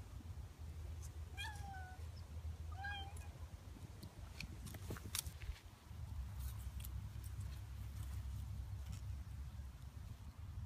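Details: Snowshoe Siamese cat outdoors at Butterfield Stage Park in Temecula, California, giving two short falling meows about a second apart early on. A steady low rumble of wind or traffic runs throughout, with scattered clicks and knocks afterward.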